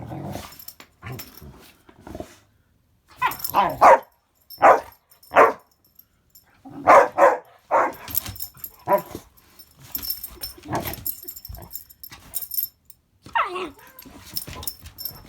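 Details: Two dogs, one a young rescue pup, play-fighting inside on a wet and icy day; bursts of sharp barks in quick clusters around four and seven seconds, with growly yips and a person's voice between.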